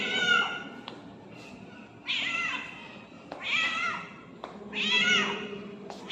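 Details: Hungry ginger cat blocking someone's path, meowing loudly: four long, wavering, nasal meows rising then falling, roughly one every one and a half seconds, with faint background rumble.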